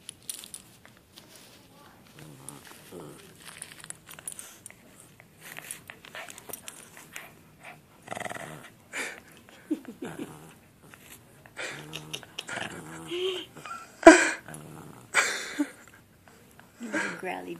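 A Shih Tzu gives short, throaty growls that rise and fall in rough pulses. A person's voice breaks in between the growls, and there are some bumps and handling noises.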